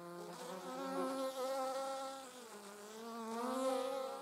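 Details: On 26 July 2019 a bee, with wasps nearby, hums a continuous buzzy drone whose pitch dips briefly midway and then rises again, growing slightly louder toward the close.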